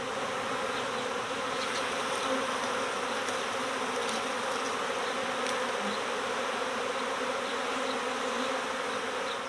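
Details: Honeybee swarm early in swarm season, a keeper's own colony recovered next door, the big cluster shaken inside a hive: dense, steady buzzing hum of many bees, unbroken for nearly ten seconds, with faint ticking sounds above.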